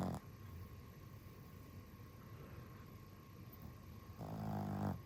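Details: Dog tired out and snoring: a snore trails off at the start, then a quiet pause with low background hum, and another low, rumbling breath-snore rises near the end.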